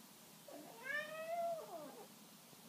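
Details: Birman cat indoors, a single long meow rising then gently falling, with a softer trailing tail; a quiet room, with a short knock at the end.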